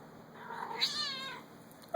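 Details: A domestic cat crying repeatedly indoors: a plaintive meow that starts softly, swells into a wavering, falling wail for about a second, then stops, followed by a sudden noise at the close.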